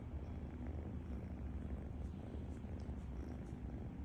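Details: Loud snoring from a sleeping cat: a deep, even, purr-like rumble that holds steady throughout with a slight rhythmic flutter.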